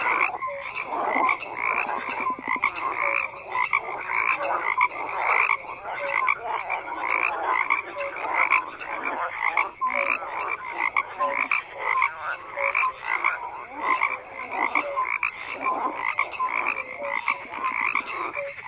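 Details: A crowded frog chorus runs steadily throughout, with countless overlapping rasping croaks swelling and fading in loose waves and a few short tonal notes rising above the mass.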